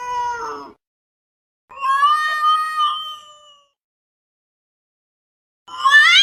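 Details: Domestic cat making a weird sound: a short falling meow, then a longer drawn-out, slightly wavering yowl lasting about two seconds, a pause, and a rising, strained cry at the end.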